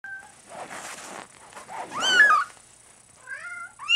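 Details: Large spotted Bengal kitten indoors: a short rising-falling meow near the middle, then two brief chirpy mews near the end, with soft rustling and breathy noises between.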